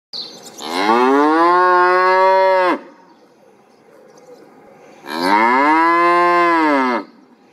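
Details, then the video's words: Cow mooing twice, each moo a long, loud, steady harmonic low at the base, about two seconds long, with a quiet pause between them. "cow voice,សំលេងគោយំ"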